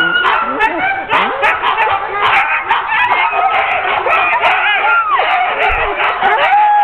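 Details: Ten-dog sled team being hooked up for a training run, October 16, 2010: dense chorus of overlapping yelps, barks and whining howls from many dogs, continuous throughout with no pauses.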